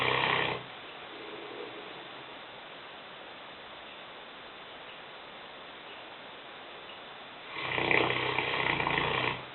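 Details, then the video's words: Lena, a five-year-old female Newfoundland dog weighing 150 pounds, snoring while asleep in the kitchen; a broad rasping snore at the start and another about seven seconds later, separated by a quiet hissing pause. "Lena (Neufundländerin) schnarchend - Lena snoring"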